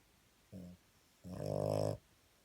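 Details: Sleeping dog snoring indoors: a short low snore followed by a longer, louder rasping breath with a steady buzzing pulse, in a quiet room.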